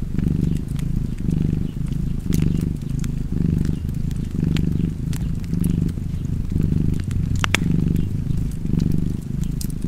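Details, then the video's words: Deep continuous purring from a cat, rising and falling rhythmically with its breathing, set against popping and crackling fireplace sounds. "Cozy Purring Cat ASMR / Kedi Mırlaması"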